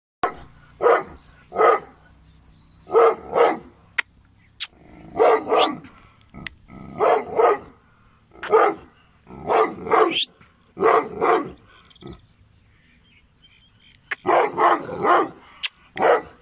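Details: Gull Dong, an affectionate but strong-willed dog breed, barking in loud, deep bursts, often paired or tripled, about a dozen volleys separated by short quiet gaps, with a few sharp clicks between them.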